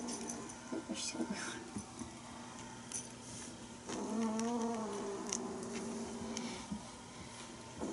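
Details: Bengal kittens from Aurora and Coco's litter at play indoors with a teaser toy; one long, drawn-out harmonic meow swells midway, set among soft rustling, clicks and scuffling.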